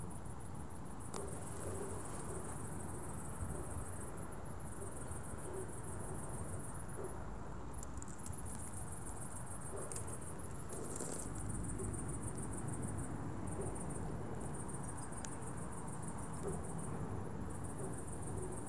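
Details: Crickets at dusk chirping in a steady, high-pitched shimmer with faint pulsing throughout, over a constant low rumbling background.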